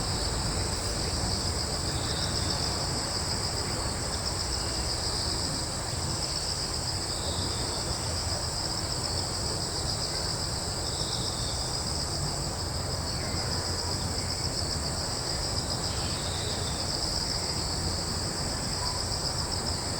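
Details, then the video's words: Continuous high cricket chirping fills a wood on Yeongjong Island, Korea, with a few short, soft, bird-like notes breaking through at intervals and a low steady rumble beneath. "Nature sounds(Crickets, birds, breeze, etc)"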